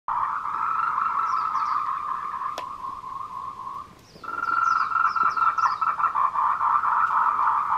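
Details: Tree frogs give courtship calls in a dense chorus at 14:00 on 26 April 2018 on a trail in Nanxi, Tainan, Taiwan, a steady buzzing trill swelling into rapid pulses.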